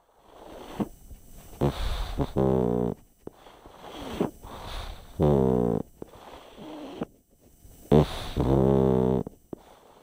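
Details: Sleeping pug named Chip snoring in a small room, each breath ending in a loud buzzing, vibrating snort, repeated about every three seconds with softer wheezy inhalations between.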